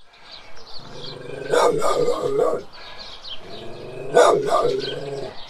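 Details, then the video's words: Large guardian dog barking: two bouts of deep, harsh barks, each a quick burst of two or three loud woofs, separated by a few seconds of quieter background. "Large Guardian Dog Barking Several Times"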